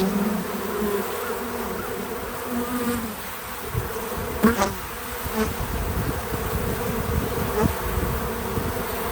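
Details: Bees visiting a feeder outdoors, a low droning buzz with wingbeat hums rising and fading as insects pass close, one loud near fly-by around the middle, over steady background noise.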